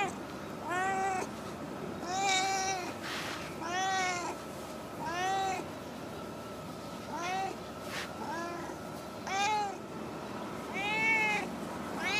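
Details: Talkative female stray cat that always stays in a park car park, meowing repeatedly: drawn-out, arching meows about every one to two seconds, each bending up then down, over a steady low background hum.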